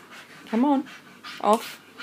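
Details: Staffordshire Bull Terriers at home as adopted Buddy, from the RSPCA in February 2013, meets his new brother Zac and sister Millie; two short rising whines, about a second apart, over quiet room noise.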